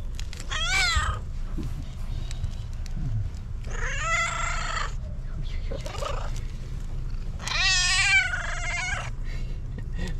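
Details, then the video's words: A fluffy female tabby cat with a distinctive meow gives three drawn-out, rich meows, each rising slightly and then falling away. "Fluffy tabby cat that meows with its unique sound is incredibly cute"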